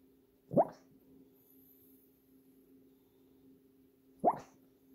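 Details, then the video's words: Sleeping female dog lets out two short, muffled barks roughly four seconds apart, each a quick low burst, with a constant electrical hum underneath in a quiet room. "Barking in her sleep"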